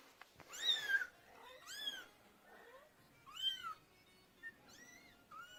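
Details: Small kittens meowing for their mother, about five high, bending meows in quick succession, the first loud and bright, later ones rising then falling, over a faint background hiss.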